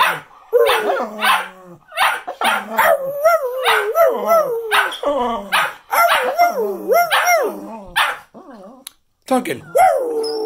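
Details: Cocker spaniels howling at Christmas 2019 in New Jersey, joining their owner in a group howl. Several wavering, sliding tones rise and fall over one another in bursts. Short breaks and human voices mix in.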